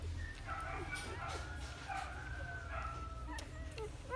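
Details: Four-day-old Golden Retriever puppies feeding from their mother Guin in the morning sun: thin, wavering high squeaks and whimpers repeat across the clip over a steady low rumbling background.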